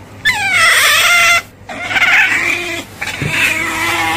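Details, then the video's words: Three harmonic squeals from an otter, the first loud and slightly falling, the next two rougher and wavering, with a soft low hum in the background. "Suara Berang - Berang"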